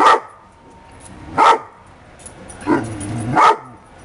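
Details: A dog among happy pups lets out four sharp, separate barks, roughly one every second, over quiet background.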